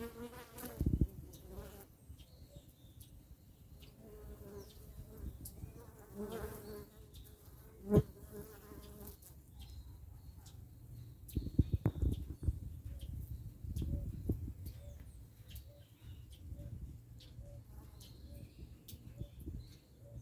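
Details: Africanized honey bees at an apiary in October 2021 produce a steady low buzz with layered tones that rise and fade, punctuated by loud knocks near one, eight and twelve seconds.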